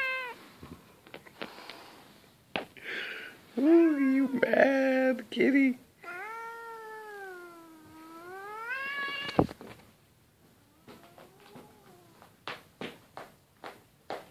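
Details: An angered house cat, after snoring, lets out short rising meows followed by a long, low, bending yowl that swells and fades, with a human voice talking and soft clicks and taps afterward indoors.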